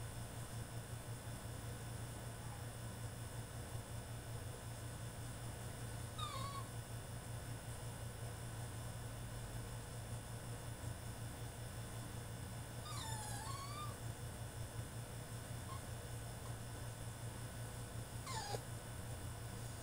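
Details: Male French Bulldog throwing a tantrum in his cage: three separate high, wavering whines, spaced several seconds apart, over a steady low hum.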